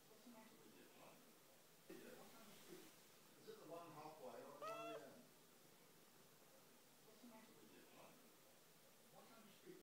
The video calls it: Talking Siamese Cats language Meow